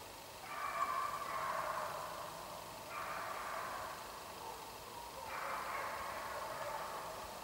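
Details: Beagle Björknä Selda baying while driving roe deer on a hunt, heard at a distance: three long, drawn-out, wavering cries about two and a half seconds apart, over steady outdoor background noise.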